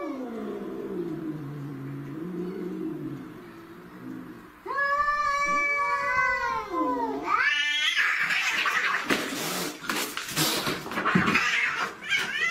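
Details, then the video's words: Alley cats in a fight: a low, wavering growl-moan gives way to a loud, arching, strongly harmonic yowl, then erupts into harsh screeches and hissing bursts. "Deadly Cat Fights"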